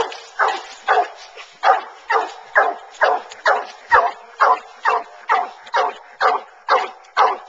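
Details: Two Bluetick Coonhounds on a coon hunt, running a track in a cornfield then treeing in the woods, bay in steady, rapid bursts, about two deep, ringing barks every second.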